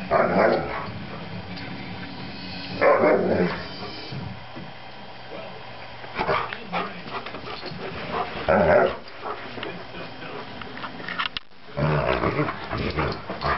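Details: Max, a three-year-old Alaskan Malamute, playing and giving loud, broad bursts of barking and woofing vocalisations roughly every three seconds, with quieter gaps between them.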